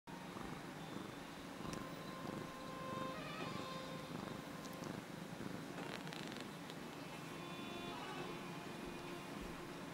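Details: Domestic cat purring while rubbing against someone: a steady, low, rumbling purr throughout, with faint higher clicks and rustles and a soft tonal hum in the background.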